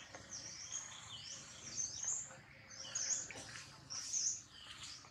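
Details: Jinx, a baby monkey, cries loudly after a hard bite from Jade: repeated very high, tonal wails that rise and fall in short arcs roughly once per second, with faint rustling beneath.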